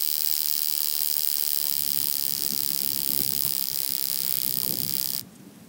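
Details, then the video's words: Mala Ucka, Croatia, 26 July 2023: a wing-buzzing toothed grasshopper (Stenobothrus rubicundulus) produces a continuous, intense, sizzling high-pitched whirr for about five seconds before it stops suddenly, leaving faint low background noise. "Stenobothrus rubicundulus -- Schnarrender Heidegrashüpfer -- Wing-buzzing Toothed Grasshopper"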